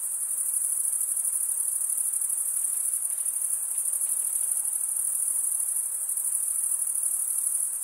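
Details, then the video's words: Chirping crickets, produced by males running the top of one wing along a serrated vein beneath the other. A constant, very high, shimmering trill fills the clip without pauses, over soft background hiss. "cricket sound"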